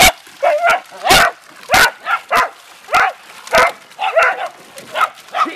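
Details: Beagles and Dachshunds frolicking in water, one family of mother, pups and red-bone Dachshund father: excited short barks roughly every half second, some with a whiny yelping edge, over light background noise.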